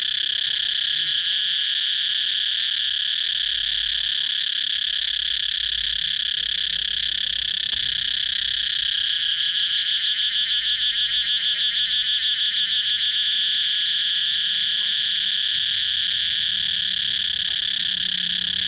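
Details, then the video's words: Cicadas calling outdoors in a continuous high, hissing drone. Partway through, a fast throbbing pulse joins for a few seconds and then fades back into the steady buzz. A faint low rumble sits in the background. "Circade chirping noise"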